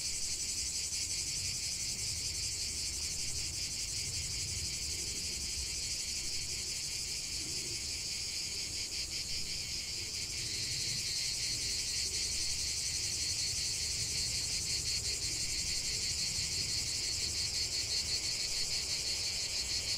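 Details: Relentless high-pitched buzz of many cicadas outdoors, the rhythmic throbbing loosening midway as the chorus thickens, with a low rumble underneath.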